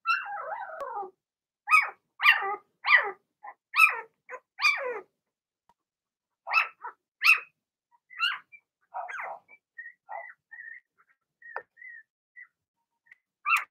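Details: Blenheim Cavalier King Charles Spaniel puppies from a litter of six in a home puppy pen, giving a burst of short, sharp yappy barks, then thinner, drawn-out whines and squeaks trailing off with pauses between them.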